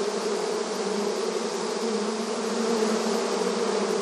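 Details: Short burst of honey bee activity at the hive entrance: many wings droning together in a steady, low, layered hum without pauses or other noises.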